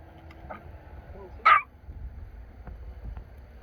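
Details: One loud, abrupt bark from a dog thrilled to be at a family grave visit in Korea, set against faint outdoor rumble and quiet speech.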